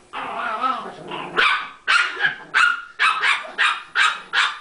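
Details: Playing Chihuahuas: a rumbling growl opens, then sharp high barks follow in a steady run of about six, roughly two per second.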